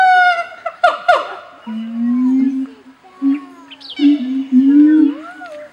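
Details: A breeding pair of Siamang gibbons in a zoo sing a loud territorial and bonding duet of harmonic hoots, low sustained tones and rising whooping sweeps.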